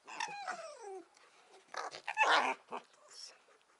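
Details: Rescued fur-farm fox playing with a companion fox indoors: a quick falling whine in the first second, then scuffling, huffing breaths and short yipping squeaks.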